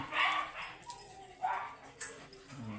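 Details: Hugo, a Corgi dog offered for stud service at Inmalog, San Fabian, Pangasinan, gives about three short, sharp barks in quick succession, with faint human voices in the background.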